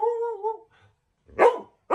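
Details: Angry Border Collie baring its teeth at a young owner: a steady, high whining tone for about half a second, a brief silence, then two sharp, loud barks in quick succession.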